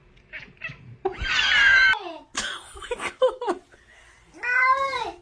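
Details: Pet cat meowing at home, a short chatter of meows followed by a long, loud, wavering meow, then a clipped chirp and a final drawn-out falling meow; a person speaks and laughs in between.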